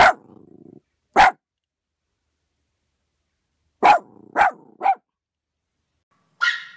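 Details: Yorkshire Terrier barking: sharp single barks, a fast run of three, then a higher, thinner yelp at the end, with silent gaps between.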